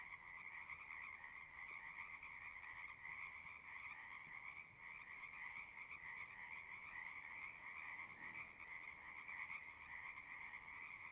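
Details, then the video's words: Distant frogs across a horse pasture, heard from a pond recorded with a Zoom 6: a steady, unbroken chorus of soft trilling croaks blending into one continuous hum, with faint background hiss. "Frogs singing"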